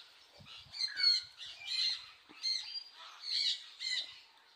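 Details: Meerkats looking for food give bursts of high, squeaky chirps and harsh squawks in quick, irregular clusters.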